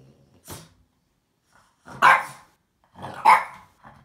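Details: A pet French Bulldog barking at a box it wants to fight; short harsh barks with growly onsets, about three bursts spaced a second or more apart, the last two loudest.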